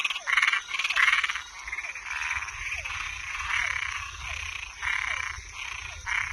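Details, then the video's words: Louder nocturnal chorus of toads and tree frogs: two strong rattling croaks open, then more distant pulsed calls repeat every second or so, with brief sliding chirps and a steady high drone. "Som de animais noturno Sapo e perereca"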